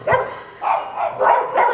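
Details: Female bulldog, very excited and hyper at play on New Year's, trying to get the camera by body slamming it. Four short, harmonic, gruff barks come in quick succession under two seconds, with a brief gap after the first.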